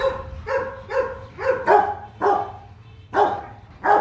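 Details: Rottweiler at the Gervi breeding kennel in Vietnam during a mating visit. A run of about eight sharp, ringing barks comes in uneven bursts, some closely paired, with faint background hum.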